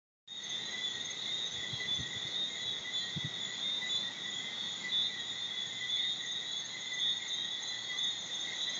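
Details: A dense chorus of thousands of tree frogs in Bermuda, heard from late afternoon until late morning, high whistled notes blending into a steady, shimmering ring, with a few crickets.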